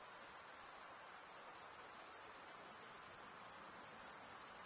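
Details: Stridulating crickets, usually males, producing their chirp with a toothed wing vein; a sustained very high, fizzing trill with fast even pulses fills the whole stretch, no other sounds standing out.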